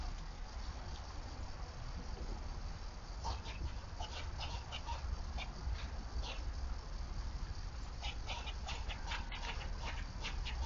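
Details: A squirrel's predator alarm call on Nov 27, 2022: sharp, rapid chucking notes over a heavy low rumble of wind.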